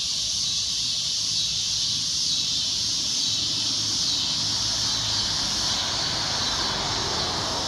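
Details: Loud shrill cicada drone, a steady high hiss without breaks, with a softer, lower wash of background noise swelling toward the end.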